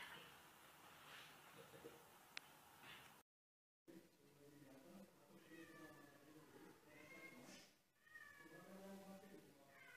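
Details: Young kittens climbing stairs, several thin, high meows rising and falling in the second half over steady background hiss, after a brief silent gap.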